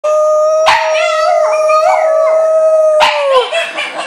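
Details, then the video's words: French Bulldog howling: a sustained, steady tone that bends upward and then wavers before dropping at the end, broken by two sharp clicks or knocks partway through. "THIS is why Griffin should not howl..."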